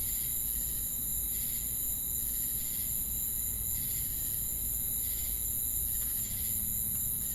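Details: Chirping crickets alongside cicadas, heard as an unbroken shrill high drone plus regular pulsing buzzy swells about once a second, over constant low-frequency background rumble.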